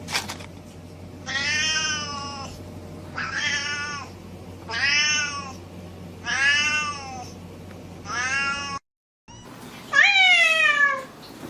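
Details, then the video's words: Pet cat repeating five similar meows at roughly two-second intervals, then, after a brief silence, one sharper call that swoops up and falls away, over a light background hum. "Cat, Gatto, Gato, Chat, 猫, Sound Effect"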